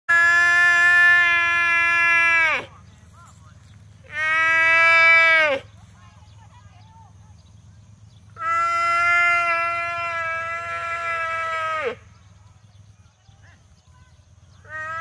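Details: A young water buffalo in a rice field gives long, strained, harmonic bawls, calling for the mother it has lost.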